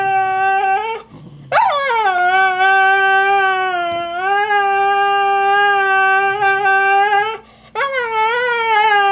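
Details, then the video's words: Complaining over a bone stolen by Trixie, the Australian Cattle Dog, female husky Snow gives long unbroken howls, each starting with an upward scoop and then holding a level, richly harmonic tone. "Husky complains about stolen bone"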